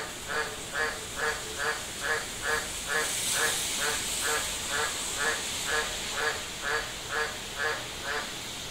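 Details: An Australian green tree frog in Darwin City, Northern Territory, gives a steady run of deep, duck-like croaks, about two each second.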